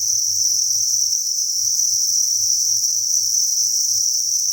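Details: An unbroken, bright high-pitched chorus from thousands of farmed crickets in a breeding facility, with soft low knocking sounds pulsing irregularly underneath.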